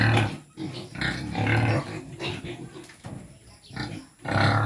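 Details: Deep, low grunts from native pigs during feeding, coming in bursts about every second with brief noisy snorts between them.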